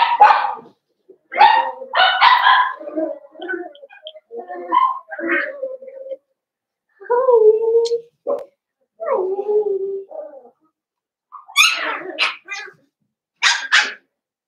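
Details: A pen of five blenheim Cavalier King Charles Spaniel puppies, born on New Year's. Mixed puppy voices: clustered yappy barks, then drawn-out whining howls that slide downward, and finally a few piercing high yelps.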